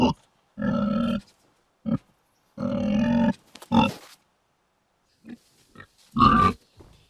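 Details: Pig in a rural pigsty producing a few drawn-out, low, rough grunts of about half a second each, separated by brief pauses and softer snuffles, with quiet gaps between them.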